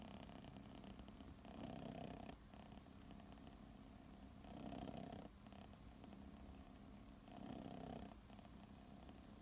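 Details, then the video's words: Kitten Chachamaru, six months old, asleep under a kotatsu and purring: steady low rumbling in long breath-length swells of about two seconds, each ending in a brief dip before the next, indoors and quiet. "いびきをかきながらコタツで寝る子猫 cats snore"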